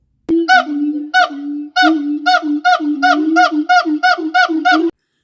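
Siamang giving a rapid series of loud, hoarse, barking hoots as part of a territorial duet.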